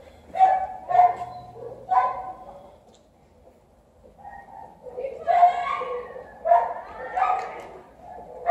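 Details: Garfild and other cats in heat call with clipped, tonal meows in tight clusters. A quiet gap of about two seconds separates an opening trio from a denser run of overlapping wails near the end.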